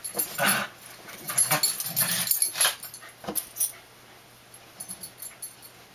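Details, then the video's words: Two young Dandie Dinmont Terriers, Dash and his cousin Patty, aged 3 and 2, romping together at play: short low growling bursts mixed with scuffling, clicking and rustling noise in an irregular, excited pattern. "Dandies at Play"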